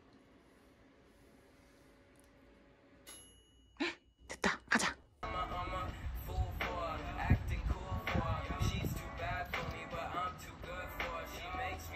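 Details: A few bright dings and thumps in a small room, then music with singing and talking over it; no animal sound stands out.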